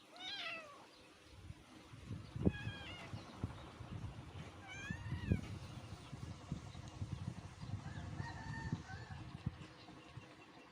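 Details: Rural mother cat and her kittens living on open land, meowing at feeding time; several clear, rising-then-falling meows at intervals over about ten seconds, with low rumbling background noise and thuds.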